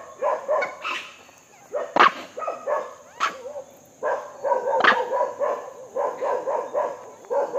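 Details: Feeding monkey making repeated hoarse, bark-like calls with a few sharp clicks or knocks between them, ending in a rapid chattering series; faint steady high whine behind.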